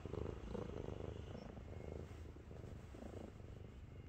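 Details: Domestic cat weighing 7.5 kg, resting on its owner's belly and being affectionate, purring with a deep tank-like rumble; low pulsing drone with rhythmic swells roughly every half second.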